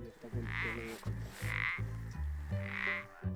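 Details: A single male frog or toad calling at nightfall during a Bioblitz at la Gutina, in the Albera foothills, Alt Empordà: low, even-pitched croaks repeated about every half second, with a higher note roughly once a second, quiet.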